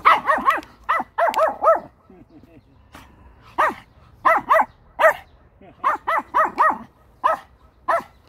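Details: Pomeranian puppy out on a walk, near a spot said to smell of a cat's house, and described as scared. Sharp, harmonic-rich yaps come in quick bursts of two to four, about fourteen in eight seconds, with short quiet gaps between.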